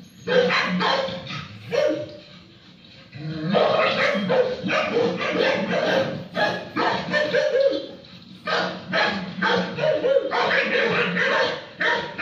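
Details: Akita Inu dog named Hokichi barking toward four-legged friends; loud, rough barks come in rapid clusters, falling quiet briefly near the two-second mark and again around eight seconds before the barking resumes.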